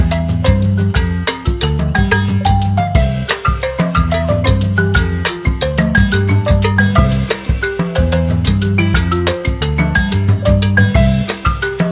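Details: Lively marimba-led music with heavy bass and percussion runs throughout, and no animal voices come through.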